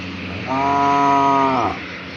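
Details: A cow calls to its partners to mate with a single sustained moo of just over a second. The tone is steady and rich in harmonics, then drops at the close over faint low background rumble.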